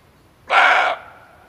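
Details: Hunters' lure recording of a male barking deer: one sharp, raspy bark, roughly half a second long, starting suddenly, holding steady, then cutting off with a soft ringing afterglow over a quiet background.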